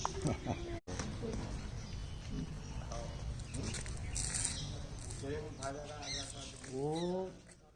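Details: After some human talk, a male goat gives wavering, nasal bleats near the end, calling to its owner.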